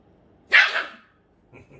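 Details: Grumpy Pomeranian with a border collie puppy: one sharp, harsh bark lasting about half a second, followed by a faint short whine-like sound near the end.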